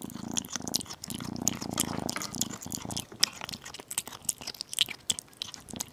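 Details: Low pulsing purr from a tiny kitten eating chicken and beef for the first couple of seconds, then giving way to crisp chewing, biting and crunching clicks.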